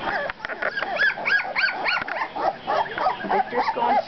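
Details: Squeaky cries from two-week-old pups, about three short arched whines per second, strongest at the start and softening toward the end, overlapping calls from more than one puppy.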